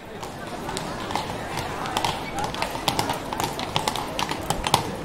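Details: Horses walk on a street, hooves clip-clopping on the hard surface in sharp, uneven knocks, with voices murmuring behind.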